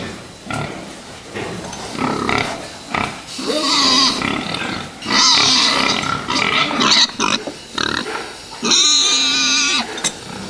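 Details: Fattening pigs squealing loudly with long wavering screams, the longest near the end, over a background of grunting and pen clatter.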